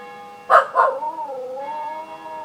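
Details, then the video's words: Henry, a Welsh Terrier, howls along with ringing church bells: two loud bell strikes, then a wavering tonal howl that dips and rises again. "Henry howling"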